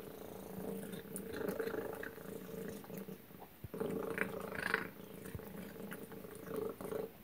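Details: Pet cat named Tacy eating her suppertime chicken and duck dinner indoors; continuous buzzy purring rises and falls with each breath, broken by a short pause mid-clip, with faint clicks and a brief brighter squeak near the end.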